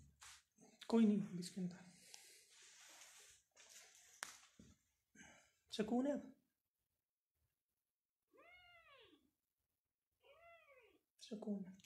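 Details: Persian cat at a cattery in Pakistan among playing cats and kittens, giving two short arched meows late on, quiet and spaced apart, after a stretch of human speech and handling noises indoors.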